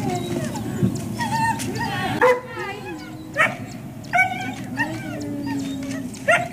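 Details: Service dogs in Ipswich, Massachusetts, USA, waiting one on one at breakfast time on October 14, 2017; high wavering whines and short sharp yelps recur every second or so over a steady background hum and people talking.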